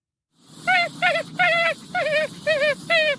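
Raccoon giving six short, wavering, nasal whinnying calls, about two each second, over a low background rumble.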